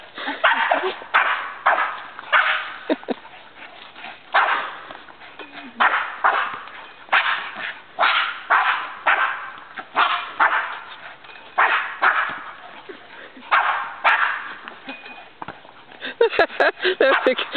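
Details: Two dogs, a Labrador Retriever named Jena and a Boston Terrier named Franklin, playing tetherball against each other; short sharp barks repeat about once a second in steady bursts, with people talking and cheering between them.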